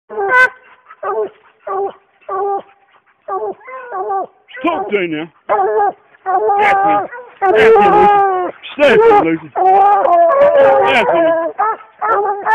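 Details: Two coonhounds treeing a raccoon in the morning: loud, harmonic baying barks repeated about once a second, short and separate at first, then swelling into longer, overlapping bawls as both dogs call together.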